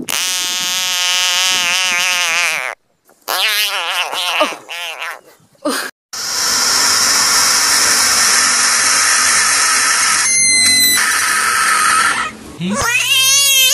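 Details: A caught frog screaming: loud, rich, buzzy wails in long bursts broken by short silences, the pitch wavering up and down, ending in a quick rising cry.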